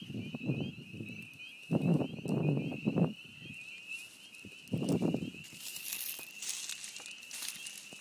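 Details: Spring peepers singing at a beaver pond in spring, their steady high peeping chorus running throughout beneath loud, low rumbling bursts of handling or footstep noise.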